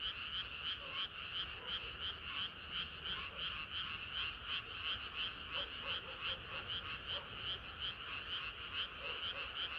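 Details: Many frogs singing together on a hot summer night, a steady chorus of quick croaks repeating about three times a second, overlapping into one throbbing, unbroken wall of sound.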